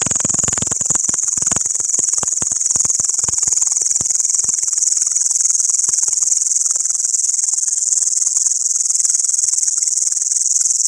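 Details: Locust calling at night, loud enough to wake a sleeper: a loud, steady, high-pitched hissing buzz that runs without a break, with scattered faint clicks and crackles underneath at the start.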